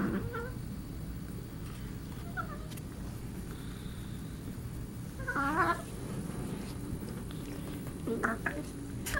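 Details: Domestic cat playing with another cat, giving strange alien-like noises: short warbling harmonic calls, roughly four spread across nine seconds, over a steady low hum.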